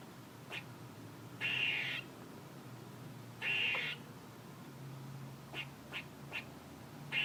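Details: Two scratchy, wheezing squirrel calls of about half a second each come two seconds apart. Several brief soft clicks follow and a fresh rasp begins at the very end.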